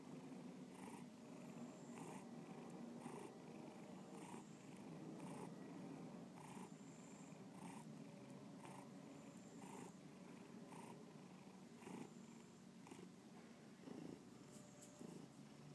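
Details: Bubba the house cat purring contentedly, a low buzzing rumble pulsing with each breath about once a second, steady for most of the stretch before a brief rustle near the end.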